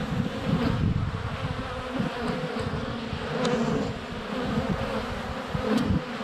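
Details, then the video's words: Flying honey bees crowd a hive entrance on a sunny February day, captured with a GoPro Hero 7 Black; deep pulsing buzz rising and falling as individual bees pass close, with a few sharp clicks of bees touching the camera. "Honey Bees - ambient video and audio"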